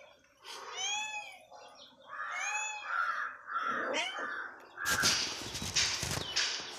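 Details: Cat hungry in the morning meows twice in curved, whiny calls, softer murmurs follow, then a burst of loud rustling and handling noise covers the end.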